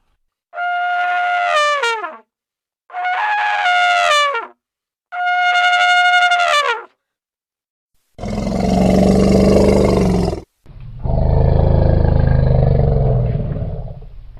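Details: Elephant. Three loud, brassy trumpet blasts from an elephant, each about a second and a half long, bend downward at the end. Two long, harsh roars follow, heavy with low rumbling tones.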